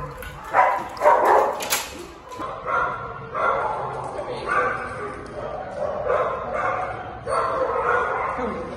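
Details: Male Australian Shepherd awaiting adoption, an active dog that barks to warn when something isn't right; a few sharp barks in the first seconds, then human speech and murmuring voices carry on through the rest.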